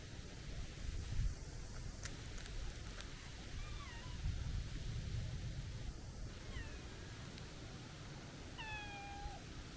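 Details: Chubby stray tabby cat with a young, kitten-like voice, giving three high, thin meows spaced a few seconds apart. Each meow slides slightly downward. Low wind rumble and a few faint clicks sound in the background.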